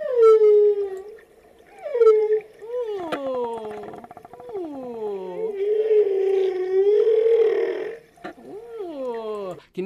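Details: Whale song played aloud to a group, whales described as big sea creatures that sing: long sweeping tonal moans gliding up and down, some dropping steeply, with a harsher grating stretch in the middle before clear swoops return.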